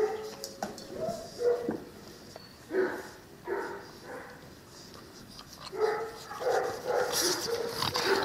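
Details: Nine-week-old Cane Corso puppies from Axa and the champion Aquilla Dorata Belami, giving short tonal whimpers and yelps in repeated bursts over several seconds, with pauses of quieter background noise between them.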